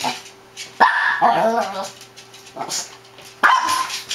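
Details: Shih Tzu dogs barking excitedly: sharp high barks at about 0.8 and 3.4 seconds with a yelping, whiny bark between, over a low steady hum and faint background noise.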